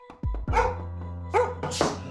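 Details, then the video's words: Frightened pet dog barking at the door during a training exercise: two short, sharp barks about a second apart, followed by a fainter yip, over background music. "Stop Dog Barking at the door!"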